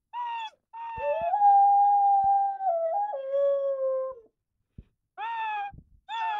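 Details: A 12-month-old Rottweiler, in the morning, howls in long, wavering tones that slide downward, broken by short yips.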